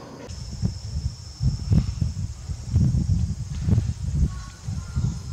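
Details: Uzuki Sasuke, a tailless captive jaguar born 21 April 2016 at Tennoji Zoo, calls at Tobe Zoo on 5 October 2021. His voice is thick and low: a loose series of deep, rough grunts, irregularly spaced, over faint background hum.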